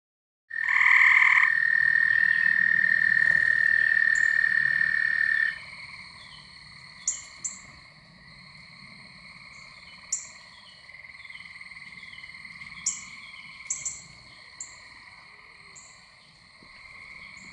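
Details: Gray Treefrogs and American Toads calling at night around a house and pool near a pond in spring or summer. A loud trill lasts about five seconds, followed by softer ongoing trills with short, sharp higher chirps scattered throughout.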